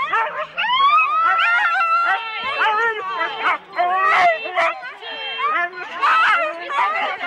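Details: Husky sled teams of four dogs at the start of a race, Rendlesham, January 2016: many dogs bark, yelp and whine excitedly together in a dense overlapping chorus of rising and falling cries, with voices among them.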